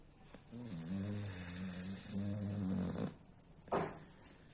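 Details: Pet dog from Bangladesh snoring while asleep: two drawn-out, low, buzzy snores with a slightly rising and wobbling tone, back to back over three seconds, followed by a short sharp rustle.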